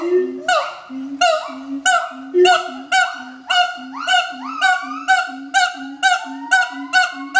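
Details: Duet song of a pair of adult siamangs, sung each morning to advertise their territory, at Schmutzer Primate Center. Shrill barks come about twice a second with rising wails between them, over pulsing low booms.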